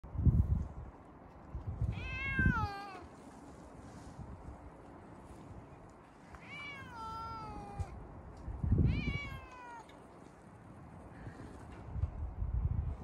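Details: Siamese cat yelling at the snow, giving three long harmonic meows at about 2, 6.5 and 9 seconds, each falling in pitch, with low thumping and rumbling noise between calls.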